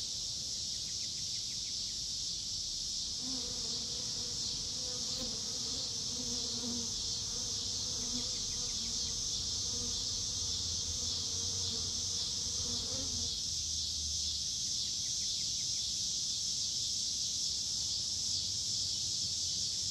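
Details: Miniature sweat bees (Lasioglossum sp.) collecting pollen from sideoats grama flowers: a low, steady buzz for about ten seconds over a constant high insect hiss.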